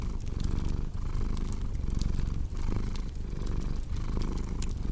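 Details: Domestic cat purring beside a crackling fireplace: a steady low rumble that swells and dips with each breath, about once a second, with sharp wood crackles and pops throughout.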